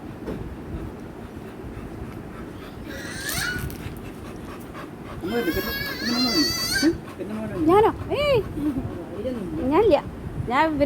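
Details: American Bully named Mikku, a pet dog, overjoyed at being taken out on a trip; a burst of high, wavering harmonic whining followed by a string of short arched whimpers repeating about every second, with people talking over it.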